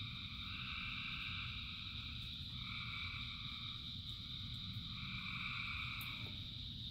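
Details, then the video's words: Frog chorus in rain, thousands calling: dense continuous trills in several pitch layers, one band swelling and fading in turns, with a steady low hiss of rain beneath. "Frogs in Rain 2 Hours of Frogs, Thousands of Frogs Singing"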